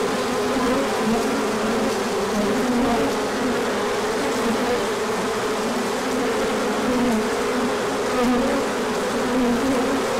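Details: Large orientation flight of honeybees in sunshine following colder weather, with pollen arriving afterward; steady, even buzzing of a crowd of bees, tones wavering gently over a constant drone.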